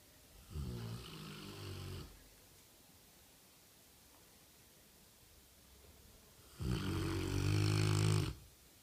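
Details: A one-year-old Rottweiler snores during a nap, giving two long, rumbling, low-pitched breaths with a rattling buzz.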